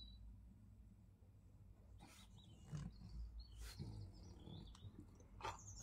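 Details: A blue two-year-old male French Bulldog, still fuming after chasing an intruding cat out of the garden, grumbles in low, rumbling growls broken by a few short, harsh barks while wanting the door opened.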